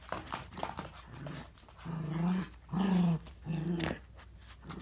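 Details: Indoors, a miniature dachshund battles a capsule-toy ball that has slipped into a gap, giving three low, drawn-out growls, each about half a second long, amid scrabbling paws and clattering taps.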